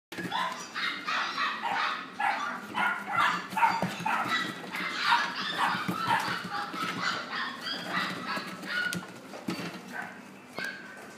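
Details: Female apricot-coloured dog born 25 October 2016, kept at a pet shop; rapid high-pitched yapping barks, roughly two per second, continuing without pause and fading slightly toward the end.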